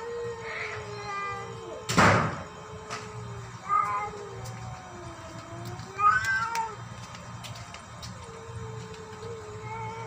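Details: A fighting tabby cat gives several short, wavering meow-like cries spaced a couple of seconds apart, with a loud thump near the start, over a constant low hum and faint tonal background.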